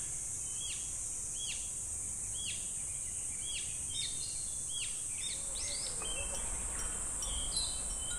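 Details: Cicadas sing in summer at Nameri River Shrine in Sukagawa, Fukushima Prefecture, Japan, where wind chimes hang: a steady, very high, unbroken shrill drone runs throughout, while a bird repeats short arched whistled notes about once per second over it.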